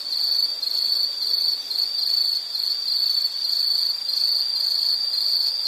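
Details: Nature recording of an insect: a high, piercing trill broken into quick pulsing bursts, wavering gently in loudness, steady from start to finish with no other clear sounds.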